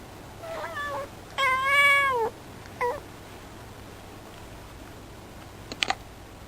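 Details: Female cat calling out toward a bird in the distance, seemingly grumbling; short mewing notes, then a long drawn-out whining meow with a falling end, a brief chirp, and a few faint clicks.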